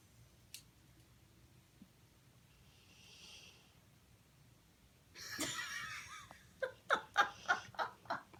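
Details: Charlie, a Pit Bull in California, sleeping and dreaming: near-quiet at first with faint breaths, then a loud rough breathy burst followed by a run of about seven quick, rhythmic snorting huffs.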